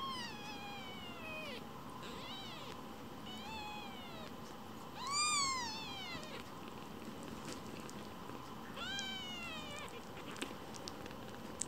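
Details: Foster kittens indoors competing for attention, giving a series of short arched meows, several softer ones early on, then a louder rising-falling meow midway and another later, over a steady background hum.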